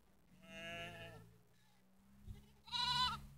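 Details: Sheep with three black lambs on Sėkmės street, Netoniai, Kaunas district, Lithuania, 27 September 2016 at 17:53: two harmonic, nasal bleats about two seconds apart, the second brighter and shorter, over a steady low hum.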